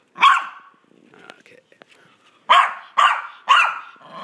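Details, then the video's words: Pet Maltese dog making its playful 'vicious dog noises' while playing fetch: one sharp, harsh yap, a pause with faint clicks, then three quick yaps about half a second apart. "Maltese Dog Makes Funny Noises and Plays Fetch"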